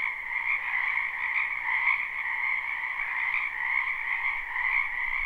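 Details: Numerous frogs calling together in a spring wetland near a home, recorded live and unlooped: steady overlapping croaks blend into a buzzy, two-toned trill that rises and dips slightly in volume.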